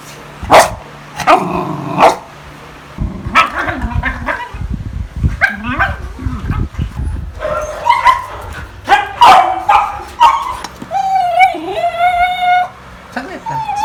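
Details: Pet beagle in the Philippines making its everyday funny sounds: a mix of short barks, yips and drawn-out wavering whines, with a brief human voice and household noise between calls.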